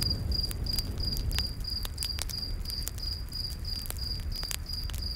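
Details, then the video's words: Night forest cricket with a campfire: regular thin chirps about three a second, broken by frequent loud snaps and crackles of burning wood and a low roaring background. "Campfire In The Night Forest w/ Cricket Sounds"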